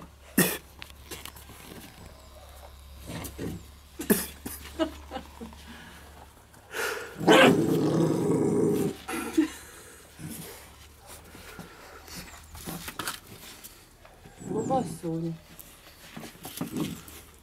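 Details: Rottweiler puppies fighting over a tennis ball: a rough, low growl swells for about two seconds mid-clip, surrounded by scattered clicks, scuffles and thumps of play.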